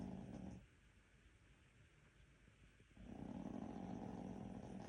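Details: Sleeping Maltese puppy with rhinitis in a small room, a harsh buzzing snore fading out, a quiet gap of about two seconds, then another rattling snore building up.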